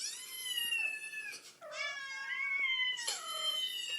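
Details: Indoors, a mother cat answers kitten meows with long, strained, wavering meows that slide down in pitch, one after another with barely a break, plus a soft knock.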